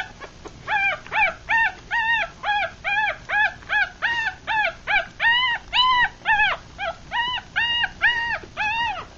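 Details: Litter of six three-day-old Rat Terrier x Chihuahua puppies, blind and feeding; a long, insistent series of about twenty short arched squeals, closely spaced and fairly even, over faint background rustle.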